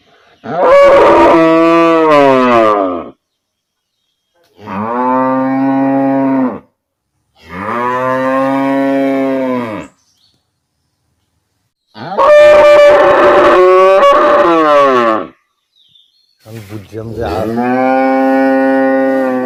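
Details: Village cattle mooing: five drawn-out, resonant moos, each two to three seconds long, follow one another with short pauses; a few sound strained and slightly rising before falling away.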